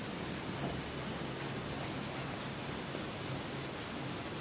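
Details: Cricket in Purworejo, Central Java, Indonesia, giving a fast train of short, shrill, evenly spaced pulses, nearly four each second, with one brief gap, against a soft hiss.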